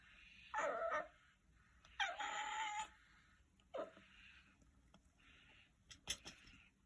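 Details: Marshmallow, a cat found as a kitten hiding in a storehouse and now grown big, gives a strange dog-like voice: three loud harmonic meows, the second long and wavering, the last short and falling, followed by soft rustling and clicks.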